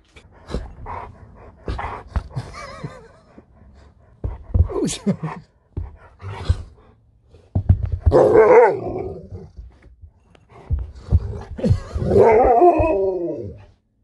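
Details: Alaskan Malamute named Sherpa talking indoors, a series of short harmonic woos and grumbles followed by two longer wavering, bending howl-like vocalizations near the end, with clicks and handling sounds between.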